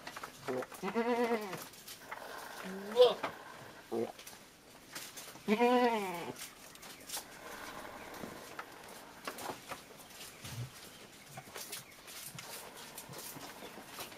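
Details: Goats during milking, with the young goats fed first; two clear, wavering bleats in the first six seconds and a short squeak between them, followed by quieter rustling, handling noise and faint voices.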